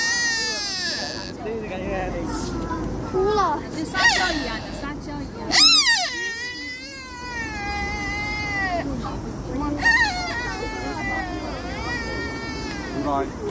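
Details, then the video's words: A deer in Nara gives repeated high, bleating, harmonic cries with sliding, wavering pitch, several in quick succession, over constant outdoor hum of vehicles and distant people. "Deer in Nara, but this one is making sounds"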